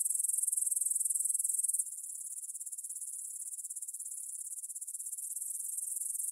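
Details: Grasshoppers in a field beside the Svensky monastery, Bryansk, Russia, stridulating at 9pm on 6 September 2020, recorded on a Tascam DR-44WL in stereo; a bright, rapid, pulsing hiss that suddenly becomes quieter after about two seconds and then swells slightly.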